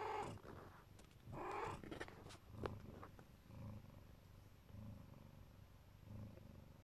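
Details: Siberian mother cat, Neva Masquerade, sheltering her kittens: a couple of louder noisy bursts and clicks open the recording, then a soft rhythmic purr pulses about once a second.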